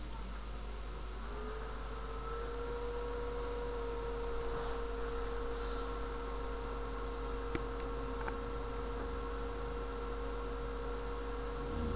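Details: A steady electrical hum runs throughout with a constant mid-pitched tone and faint background hiss, and no animal voice.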